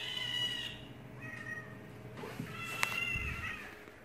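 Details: House cat answering cat sounds from another recording with a run of short, clear meows, a sharp click midway and a soft low thump, over a constant hum.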